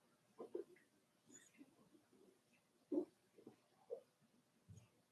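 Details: Four-week-old Cavalier King Charles Spaniel puppies in their pen with mother Daisy: soft scattered grunts, snuffles and short whimpers at irregular intervals, one louder squeal near the middle, indoor quiet behind.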